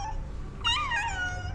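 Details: Domestic cat and a pregnant companion cat asking for food indoors; a short rising-then-falling meow with clear harmonics, preceded by quiet room noise.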